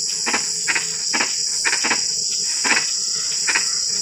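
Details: Night frog calls in drizzle: a string of short, clicky croaks, several paired, spaced unevenly across a few seconds against a continuous high insect whine.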